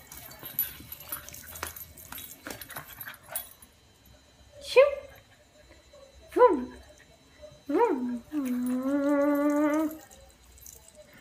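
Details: American Cocker Spaniel, a female, playing with a ball: short rising yips and whimpers at intervals, then a steady, tonal whine held for about one and a half seconds; a woman speaks Italian at the start.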